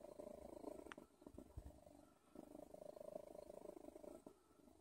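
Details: Odin the cat purring in a soft, steady rumble that swells and fades with each breath, broken near the middle by a few low thumps and a short rustle.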